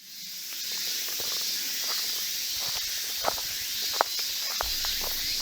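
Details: Cicadas singing loudly in midsummer heat, recorded August 2016 on a half-abandoned old road with hand-dug tunnels in Kimitsu, Japan: a dense, continuous high-pitched buzzing drone throughout, with a few faint footstep-like clicks and rustles.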